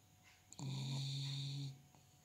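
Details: A pet dog gives a single long snore, a steady low droning tone with overtones lasting about a second, starting abruptly and fading out, over a faint background hum.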